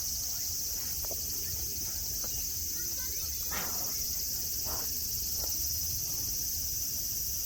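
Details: Continuous high shrill cicada chorus at Nara Park, Japan, where tame deer graze on open grass; the buzzing stays level and unbroken, with a few soft ticks and one brief rustle partway through.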